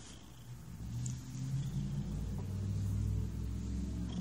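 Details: Very relaxed cat giving a close, deep purr, a dense low throbbing drone that grows stronger over a few seconds.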